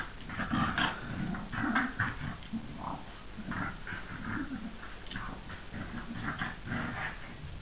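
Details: Two dogs, Kaatje and Jake, playing indoors, with Jake acting as a very kind big brother; rough play growls and grumbling snarls rise and fall in repeated bursts throughout, with short whimpery notes between.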